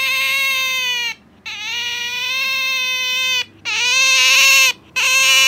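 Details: A pet otter named Sakura clings to her owner indoors, calling noisily in sustained, steady, high-pitched whines, each lasting one to two seconds, with brief pauses and a faint low hum underneath.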